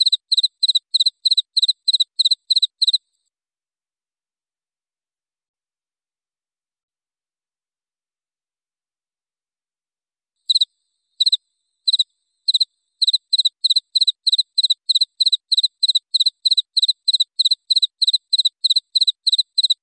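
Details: Chirping cricket in a masteran track with pauses, used to train birds like murai and kacer. A brisk series of high chirps stops after three seconds, silence follows for about seven seconds, then sparse chirps resume and quicken into a steady run.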